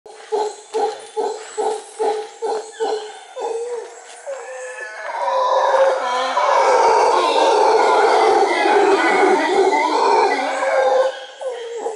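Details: A troop of howler monkeys overhead on the Osa Peninsula, Costa Rica: males give territorial calls, a string of rhythmic grunting barks that swell into a long, deep, rolling roar.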